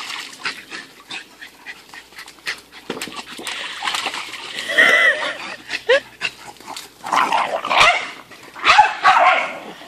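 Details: Ruby, an Irish Red Setter puppy, at her first paddling pool, gives short yipping barks and whimpers. Louder harmonic bursts come near the middle and again toward the end, over scattered clicks and splashing.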